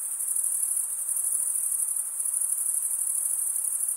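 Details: Crickets stridulating in a steady chorus, a piercing high-pitched trill of tightly packed pulses at constant volume, with a quiet background otherwise.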